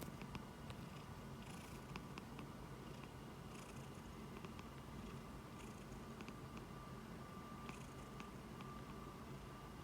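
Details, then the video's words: Sleeping house cat resting its head on a palm like a pillow, July 2021; continuous low purring rumble with a thin steady hum above and scattered light rustles. "诞蛋打呼噜 把手当枕头 Snoring cat sleeping on my palm"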